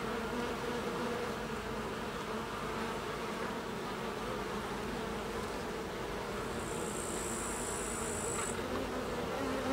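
Carniolan honey bees give a steady, low droning hum from many beating wings.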